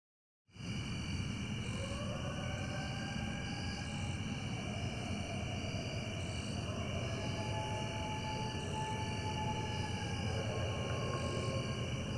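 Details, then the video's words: A couple of coyotes howl: one with an arcing pitch, the other holding a single low drone-like note, and a flat air-horn-like sound answers a distant train horn. Faint, long, steady tones sit over a constant hum and broad background noise. "Coyote Air Horn"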